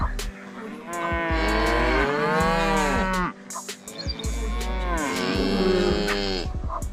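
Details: Cow on a farm mooing: two long, drawn-out lowing calls with rich harmonics, the first bending up then down over about two seconds, the second after a short pause, over a steady low hum.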